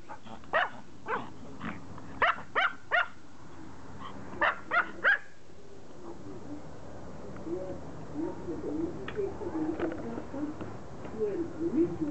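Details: Pomeranian begging to play fetch: around nine high, clipped yaps in the first five seconds, then the barking stops and a soft, low rumbling murmur fills the rest.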